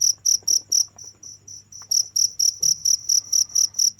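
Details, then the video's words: Continuous cricket calling: sharp high chirps in quick regular pulses, briefly dropping to quieter chirps in the middle before returning at full strength, over a faint low background hum. "without stopping the sound of crickets for 15 minutes"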